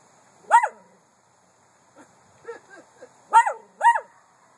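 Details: Miniature Poodle: short sharp high yapping barks, one near the start, a few soft muffled ones midway, then two loud barks in quick succession near the end, against a quiet background.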